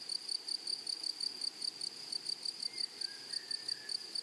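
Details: Grasshoppers in a flowery meadow: a high, thin, pure-toned chirp repeated steadily about four to five times a second, with a fainter overtone above. A soft, brief whistle slides in the background near the end.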